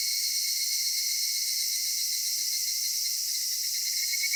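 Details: Cicada chorus at summer dusk in a Japanese cedar grove: an unbroken shrill, buzzy hiss held at a constant level, pulsing faintly, with nothing else audible.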